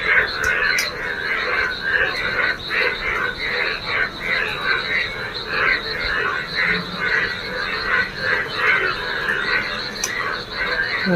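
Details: Many yellow frogs gather in rainwater pooled in a neighbourhood field on a rainy morning, jumping about. A dense chorus of pulsed, rattling croaks comes in overlapping bursts roughly every half second, with a sharp click or two.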